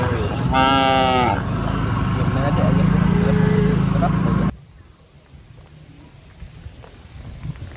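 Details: A herd of cattle being driven away: one short, rich moo early on, roughly a second long, over steady engine rumble and people talking, then the scene drops to a quieter background.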